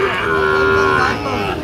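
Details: Sahiwal bull at the Ambari cattle market in Dinajpur district, recorded 27/6/25; one steady, even-pitched moo with a strong harmonic stack, held for just over a second and then fading. Market chatter murmurs underneath.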